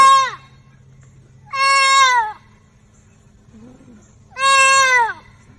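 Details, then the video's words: Fawn caught in a fence, crying out in pain: three loud, high, harmonic bleats, each about half a second to a second long and sliding downward in pitch, spaced by quiet gaps with a faint low voice between. "Baby deer caught in fence, crying out in pain for help"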